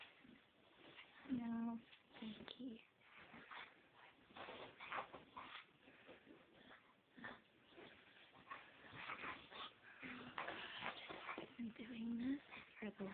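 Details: Indoor Chow Chow rolling about on a yoga room floor, giving two drawn-out tonal whines, one early and one near the end, amid continuous rustling and scuffing, with a human voice speaking in the background.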